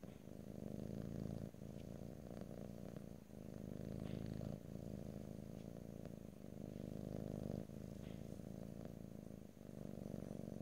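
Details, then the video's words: Loud, close purring of a domestic cat, a vibrating low rumble in phrases separated by short breath pauses every one to two seconds, with occasional soft clicks. "ASMR Cat: Purring"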